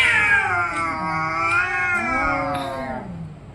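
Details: Cat fight, orange and white cat producing one continuous, loud, strained howl that wavers and gradually slides lower, harsh and nasal throughout.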